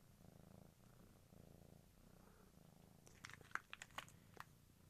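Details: Village kittens purring in soft rhythmic waves, each lasting about a second. Later come scattered clicks and crinkling handling sounds.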